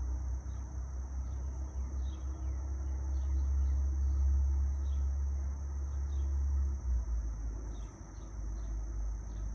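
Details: Continuous shrill cicada drone in a wooded spot with wind through the trees and light traffic nearby, the level high tone steady from start to finish above a loud low vehicle hum and a few faint chirps.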